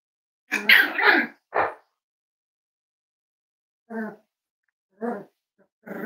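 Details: Cavalier King Charles Spaniels indoors at Red Barn Cavaliers during a puppy livestream: a loud burst of two or three rough barks, then shorter, lighter yips repeated about once a second.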